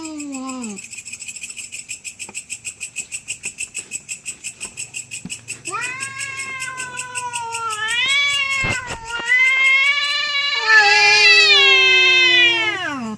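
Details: Domestic cats fighting over territory at night: a short falling wail, a quiet stretch with a steady ticking pulse, then long drawn, wavering yowls that rise and swell in loudness toward the end.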